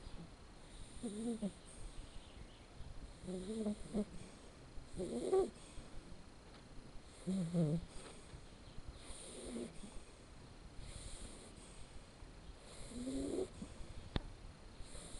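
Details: Blacke EJ Terani, a red male Shar Pei puppy born 7 October 2013, snoring in his sleep. Regular, low, rattling breaths sound about every two seconds, seven in total, with a single sharp click near the end.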